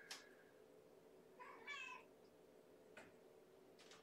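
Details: A hungry kitten about three weeks old, born April 14, meows in a kennel at bedtime feeding on 4 May 2018. One short, quiet, harmonic meow sits midway, with faint clicks and a steady room hum.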